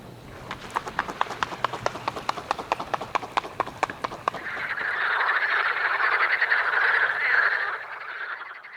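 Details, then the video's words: Evening frog chorus in spring in the south, with a rapid train of sharp croaking clicks repeating over four seconds, then giving way to a dense, continuous trilling chorus that swells and fades. "Der abendliche Froschchor erinnerte uns daran, wie kurz der Abend im Süden ist."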